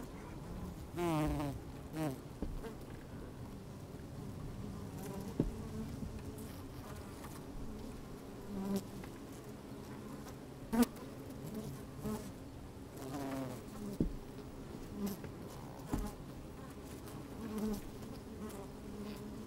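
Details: Honey bees busy in an opened hive on a fine, sunny day with some wind, recorded from inside the hive: a continuous low hum broken by occasional short, louder buzzes and clicks.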